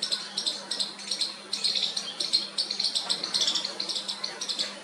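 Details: Baby squirrel trying its first call to its mother: a rapid, uneven run of high, scratchy squeaks in short bursts, several per second, with a faint steady low hum underneath.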